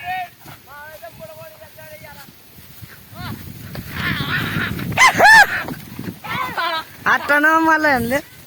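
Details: Flock of sheep grazing in an onion field; a run of harmonic, quavering bleats from several animals overlaps, some short and some drawn out with a wavering tremble, over low rural background noise.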